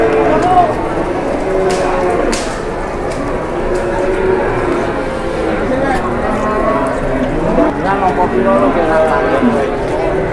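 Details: Indonesian cattle around a cow that collapsed and then grew aggressive: drawn-out lowing moos, partly overlapping, with human voices and knocking noises through the barn.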